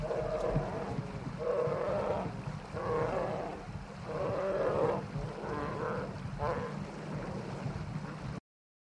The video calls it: Bear Growl And Roar